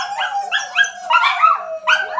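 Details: Two pet dogs, a Shetland Sheepdog and a Dachshund, howling together: wavering, drawn-out tonal wails with sliding pitch, overlapping voices rising and falling in short bursts.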